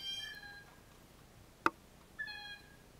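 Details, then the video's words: Male Canada lynx calling to attract a female near where a female with kittens left scent a week earlier. Two faint, high, cat-like mewing notes about two seconds apart, with a sharp click between them. "Canada Lynx Mating(Breeding) Call"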